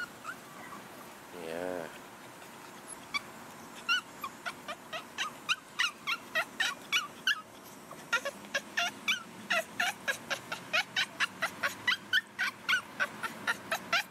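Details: A female Boston Terrier gives a short whine, then a long run of rapid, clipped yips in a talking rhythm, possibly asking for a ball while her owner talks to her and praises her.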